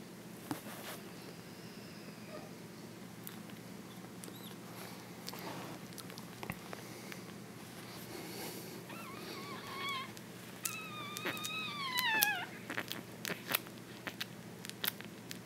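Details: A one-week-old French Bulldog puppy whimpers softly while dreaming in its sleep, giving thin, high whines that bend downward.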